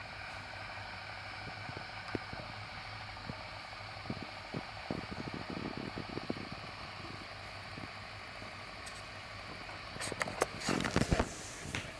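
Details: Steady engine-like drone with scattered clicks and rattles, building to a burst of clatter near the end, and no animal calls.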